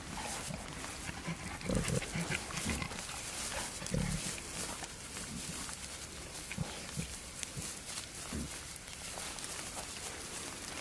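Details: Wild boar male courting a female in the wild. Short, low grunts come in scattered bursts, the strongest near two and four seconds, over a steady rustling, noisy background.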